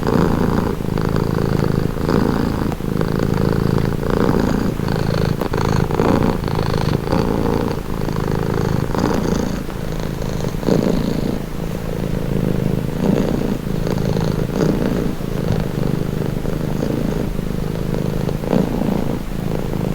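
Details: Long, even purring from a domestic cat, a low throaty rumble swelling and easing in a regular breathing rhythm throughout, recorded close for calming relaxation.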